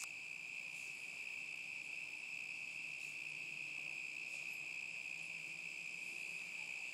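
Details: Crickets on a summer night in 2010 give a steady, unbroken high-pitched trill with faint shimmering overtones above it. A few soft, faint ticks drift through in the background.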